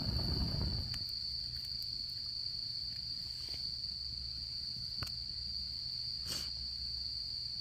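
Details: Autumn insects trilling at a campfire during camping season: a low rushing burst opens, then the steady high continuous trill carries on beneath occasional crackles and a brief hiss from the fire.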